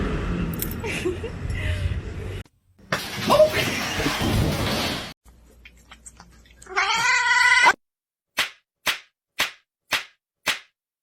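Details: Pet cat letting out a loud, drawn-out, strained caterwaul about seven seconds in, after muffled talking and rustling, then a series of five sharp, evenly spaced taps.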